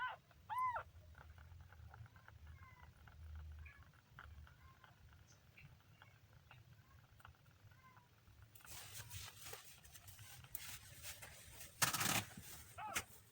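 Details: Kitten on its third day, giving several short harmonic meows, the first loud and arched near the start, then a string of softer repeated mews over low hum, followed by rustling and handling noise with a sharp clatter near the end.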